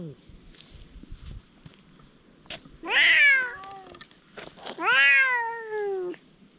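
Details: Two stray cats, one possibly named Dufy, squabbling after another cat arrives, recorded on a GoPro HERO8: two loud, drawn-out harmonic meows about two seconds apart, each rising then sliding down, over quiet background noise.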